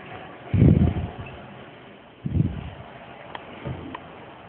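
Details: Dogs, a Great Pyrenees and a Chihuahua, playing tug of war at home. Deep, rumbling growl bursts come at about half a second, two and a quarter seconds and near four seconds, with soft rustling between them.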